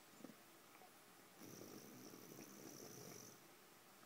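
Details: Bulka, a sleeping bulldog, snoring: a quiet click, then one long rasping, hissy breath of about two seconds with a faint high whistle over it, fading back to near silence.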